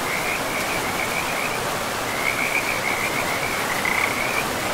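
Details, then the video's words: Forest frogs at a river give rapid, slightly rising trilled croaks in runs lasting a second or more, with short gaps between them, set against a steady roar of running water. "River and Frogs sleep sounds"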